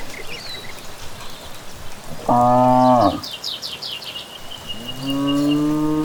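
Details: Cattle returning from grazing in the evening along a village path lined with trees: one steady harmonic moo of about a second, then a second moo rising in pitch and held to the end. Evening birds chirp in the background.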